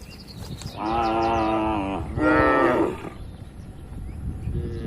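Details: Tame cattle grazing freely on wide green pasture with a herder in the Indonesian countryside; two long harmonic moos, the second slightly higher and rougher, each about a second, over soft wind and rural background.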